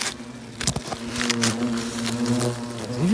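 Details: European hornets around their nest, with a young hornet close by: a steady low droning buzz with stacked harmonics, rising in pitch at the very end, broken by scattered clicks and handling knocks.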